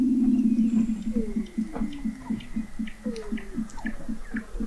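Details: Underwater Weddell seal vocalizations from McMurdo Sound, Antarctica, recorded November 2017 at an observatory 21 m beneath the sea ice. A low, fast pulsed trill of about four beats a second runs beneath two long descending whistles and scattered chirps.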